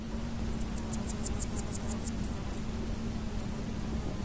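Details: Large gold grasshopper (Chrysochraon dispar), males stridulating: a quick run of about ten short, high, ticking pulses over roughly one and a half seconds, then a few scattered ticks, above a steady low hum.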